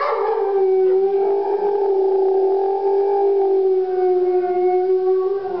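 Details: Wolf howling inside a gallery in Verona, Italy, during an exhibition opening in November 2009: one long, steady, mid-pitched howl that holds almost level with a slight waver, rich in overtones, sustained through the whole stretch.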